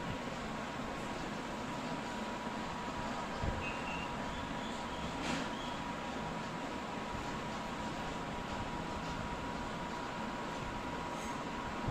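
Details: Steady broadband rumble like a vehicle or train, with a faint hum and no clear animal calls.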